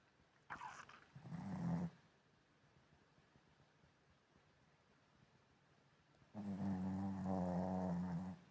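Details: Sleeping Shih Tzu snoring: a short snort, then a low buzzing snore of about a second, a long quiet pause, and a longer droning rattly snore of about two seconds to the end.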